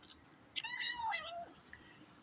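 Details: Kitten vocalizing while eating: one drawn-out meow with a clear harmonic stack, rising slightly and then falling over about a second, in a quiet indoor room with faint background hiss.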